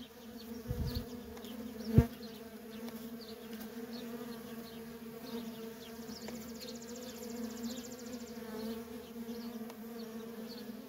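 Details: Steady, deep hum of worker honey bees in nonstop traffic at a feral colony, broken once by a sharp click and a soft low thump. Faint, distant bird chirps are heard.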